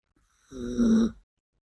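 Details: Sleeping female Yorkshire Terrier named Biske giving a single low, throaty snore lasting about half a second and swelling in loudness toward its end, in a quiet indoor setting.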